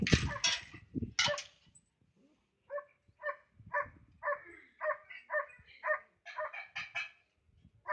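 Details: A Flat-coated Retriever barking at cows gives a quick series of short, clipped, mid-pitched woofs.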